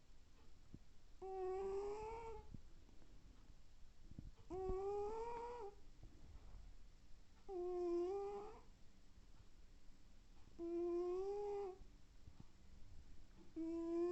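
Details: Sleeping domestic cat snoring through the house, a whistling, nasal tone on each breath lasting about a second, repeated regularly roughly every three seconds, each one slightly rising then falling, in a quiet room.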